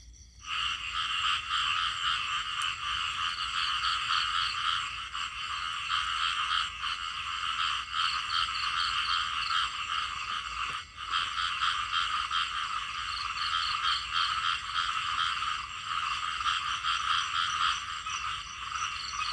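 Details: Small frogs calling in a dense chorus. Many overlapping voices make a steady, buzzy trilling that runs almost unbroken, with a brief dip near the middle.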